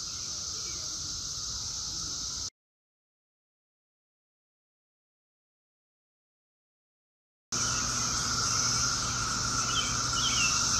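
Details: Brood X 17-year periodical cicadas in a daytime chorus at Chantilly, Virginia, in the Washington, D.C., area, 2021: a steady droning hum with brief higher chirps, broken by a long silent gap midway.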